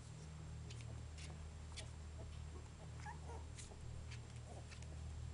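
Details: Basenji puppies three and a half weeks old, indoors; a few short, high, squeaky whimpers bunched near the middle, faint over a steady low hum with scattered clicks and rustles.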